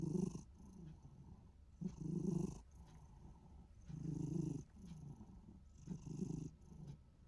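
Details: Short-legged Minuet cat in a good mood, its sound somewhere between snoring and purring: low, rough rumbling bursts roughly every two seconds, each lasting under a second, with quieter breathing between them.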